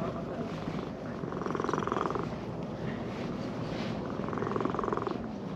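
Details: Brown-and-white stray cat in a park purring while being stroked after coming down a sloping path; a steady low rumbling purr runs throughout, swelling slightly in two louder stretches, with faint background noise.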